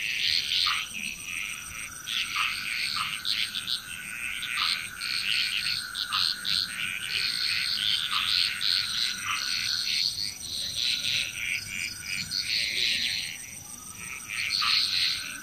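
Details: Loud frog chorus recorded in Bali, Indonesia, many overlapping croaks and trills in dense waves, with occasional lower downward notes punctuating every couple of seconds and a constant high drone.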